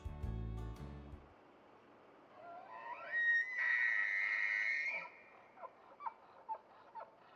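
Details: A bull wapiti bugles during the breeding season: a rising whistle climbs into a long, shrill scream, followed by short grunting yelps.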